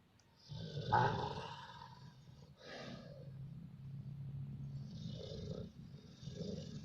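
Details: Dog asleep and dreaming, giving a deep, droning snore with a louder rasping burst early on, then steady low rumbling and softer snuffles.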